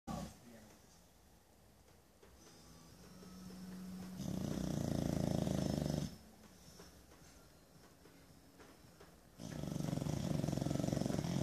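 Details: Pet bulldog snoring while resting on a lazy Sunday; two long rattling, rapidly pulsed snores, each about two seconds, separated by quieter breathing and faint background hiss.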